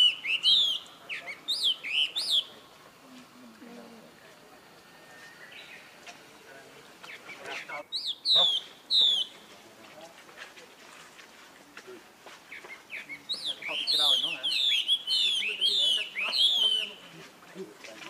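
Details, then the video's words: Baby monkey calling for help from his older brother Rainbow: bursts of shrill, arching squeals with bright overtones, in a short cluster at the start, a few scattered cries in the middle, then a longer rapid series near the end. "Heard Young Bro Call To Help"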